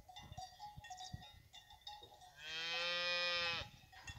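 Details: Fighting-bull cow of the La Paloma ranch among cows with their calves, giving a single loud, steady, harmonic moo lasting about a second, amid clanking cowbells and shuffling noises.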